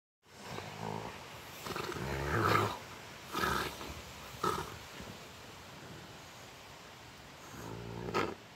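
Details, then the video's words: Rottweiler dogs playing and play fighting: rough, throaty growl bursts come in uneven spurts, loudest in the first three seconds, then fade before a final growl near the end. "Rottweiler dogs playing"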